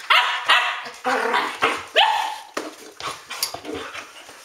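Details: Standard Poodles barking indoors at ten past midnight, loud separate barks about every half second, harsh and bright, with a person's voice between them.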